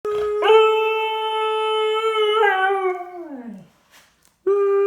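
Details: Dog howling indoors on one steady, clear, mid-pitched tone held about three seconds, then sliding downward and fading out. After a short silence a fresh howl starts at the same pitch. No other sounds.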